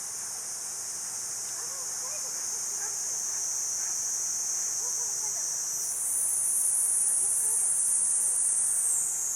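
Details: High, unbroken buzzing song of Platypleura kuroiwae that climbs in pitch and loudness about two-thirds through, with faint soft chirps of other creatures underneath.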